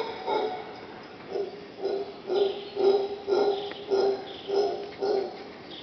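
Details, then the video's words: Howler monkeys calling right outside a bedroom at Punta Uva, Costa Rica, on August 2nd: deep, hoarse grunting roars pulsed about twice a second in a steady run of around ten bursts. "Audio of howler monkey"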